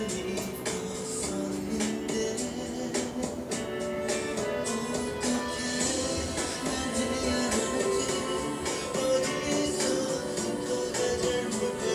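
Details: Layered music with guitar and tambourine-like percussion fills the recording, and no animal is heard.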